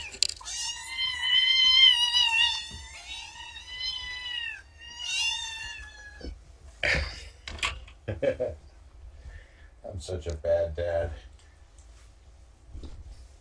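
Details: Young shelter kittens, rescued after being abandoned by a road, meowing loudly together in the morning. Several long, harmonic, wavering meows overlap in the first six seconds, followed by short clattering noises and brief human voices.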